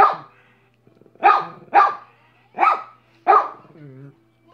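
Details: Minnie, a pet dog, barking: five sharp, loud barks in quick succession, a short gap after the first, then a low, soft whine-like sound at the end.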